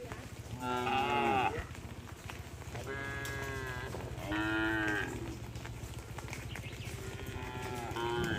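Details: Tame cattle in a herd wandering along a road, being herded: several overlapping harmonic moos, some drawn-out and slightly rising, others short, with a steady low engine-like hum underneath throughout.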